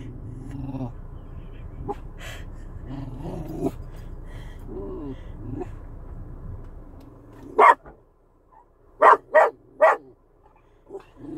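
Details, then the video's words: A chocolate Cocker Spaniel growls at wiper blades with low rumbling growls, then breaks into a few sharp barks. "Chocolate cocker spaniel growls at wiper blades."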